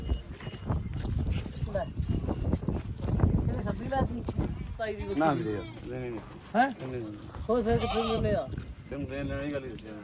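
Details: Goats at the goat market in Dhanaula, Punjab: men talk at first, then several wavering, quavering bleats follow one after another through the second half, overlapping low crowd noise.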